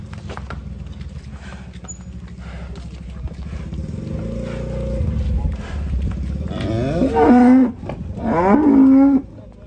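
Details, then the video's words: Agitated cattle raging while being loaded onto a truck; after engine rumble and clatter, two loud harmonic moos near the end, the second long and strained, with music and truck noise underneath. "SAPI NGAMUK NAIK TRUK OLENG BIKIN BAK TRUK JEBOL"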